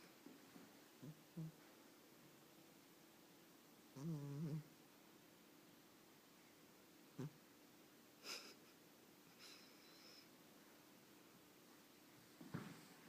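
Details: A sleeping Chinchilla Persian cat, dreaming, snores in soft, low, wheezy breaths, with one longer rasping snore.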